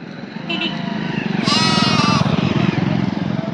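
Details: Goat crossing a road gives one wavering, harmonic bleat lasting under a second, over steady low vehicle rumble and background voices.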